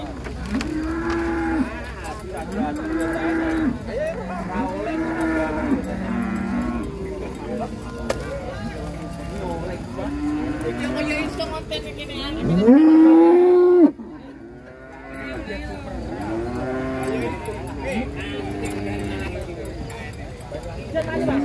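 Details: Huge cattle coming down from a truck in Indonesia. A single long, loud bellowing moo, steady and low, stands out past the halfway point against a bed of rhythmic music with occasional voices.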